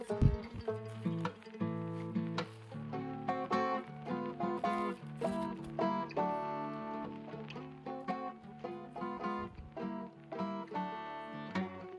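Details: Gentle plucked and strummed acoustic guitar music playing steadily at low volume, with no animal voices heard.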